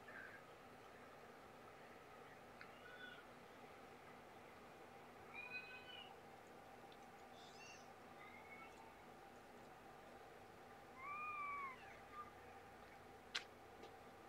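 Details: A young abandoned mother cat, about two years old, after being relocated, giving several faint, short, rising-falling meows spread over a quiet, hissy background, with a sharp click near the end.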